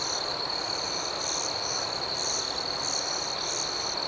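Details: Nocturnal crickets: a constant piercing trill underlies rhythmic, rapidly repeated higher chirp bursts that pulse several times a second, forming a dense, even night chorus with no other sounds.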